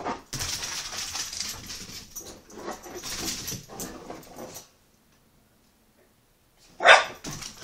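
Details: Hyper puppy exercising with wild indoor running: several seconds of scuffling paws and rustling, a silent pause, then one sharp, loud bark near the end.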